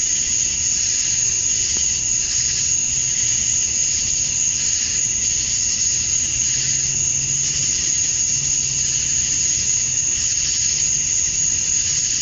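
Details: Dusk cicada chorus in summer, Georgia, USA, males calling to females: a shrill continuous drone with wavering, pulsing upper layers, and a faint low droning hum rising and fading underneath.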